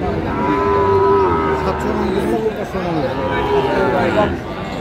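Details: Sahiwal bull calves at a cattle market where a Dhaka farmer is buying, 15 February 2025, Bangladesh; a sustained, drawn-out low moo with a steady tone, repeated after a pause, over busy crowd chatter and men bargaining.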